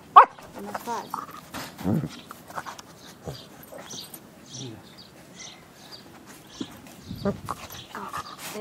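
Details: Maltese dog gives a sharp, high bark while playing, followed by softer yips, with people talking nearby.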